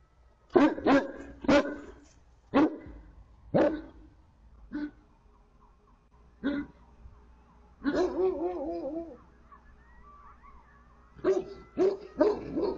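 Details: Two livestock guardian dogs barking at coyotes in front of the barn: loud, sharp barks in an irregular series, a wavering, howl-like tonal call near the middle, then another burst of quick barks at the end.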